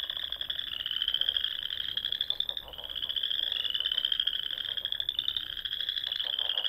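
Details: In the rolling dunes of Nebraska's Sandhills at dusk in spring, frogs sing from small ponds, producing a thick, shimmering high trill chorus that slowly rises and falls in loudness without pause.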